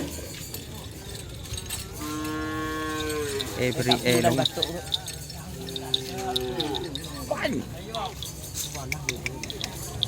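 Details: Cattle at a Sunday-morning training session for karapan sapi bull races on the Asemanis field, Pamekasan, Madura, East Java, Indonesia; two drawn-out, harmonic-rich moos, the first long and steady, the second shorter, over outdoor crowd murmur.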